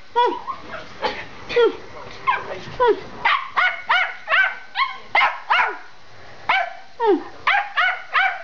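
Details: Indoors, the Schipperkes Bella and Gina bark while racing through the house. A woman calls out at first, then a steady run of shrill, evenly spaced yaps follows, each bark short and clipped, roughly two per second.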